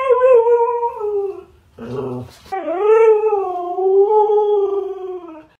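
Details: Husky 'talking' with two long, tonal howls: the first level and then sagging, broken by a short noisy burst; the second rising, then easing down into a long, wavering, steady tone.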